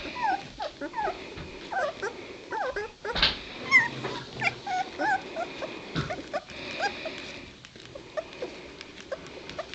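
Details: Litter of two-week-old White Shepherd puppies; many overlapping thin squeaks, whines and yips from several pups at once, constant busy chatter with a few louder bursts.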